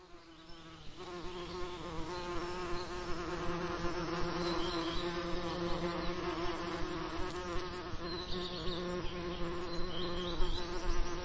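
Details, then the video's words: Bees buzzing over summer lavender: a steady, low droning hum with a wavering pitch that swells and fades as insects pass close, with faint high bird chirps in the background. "Relaxing Lavender Summer Ambience & Bee Sound Effects"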